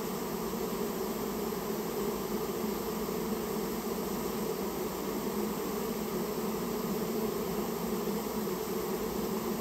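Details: Many Japanese honey bees droning together during removal of a nest built in a storehouse; an even, continuous humming mass with layered tonal bands, no pauses, no other clear sounds.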